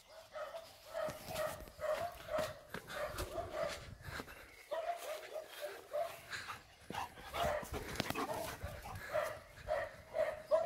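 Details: Major, a German Shepherd with a burst of energy after a walk, playing in lake water: steady, nasal, high whining yelps repeated about twice a second with short pauses, over water splashing and a person's voice.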